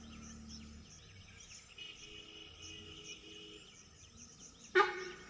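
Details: A sambar deer gives a single sharp, loud honk as an alarm call on Moyar road, Mudumalai Tiger Reserve, over steady insect hum and soft bird chirps.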